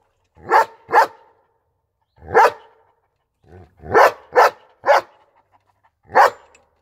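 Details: German Shepherd giving bursts of barks: a quick double bark, a single one, then a rapid cluster of three and a final lone bark, with short silent gaps.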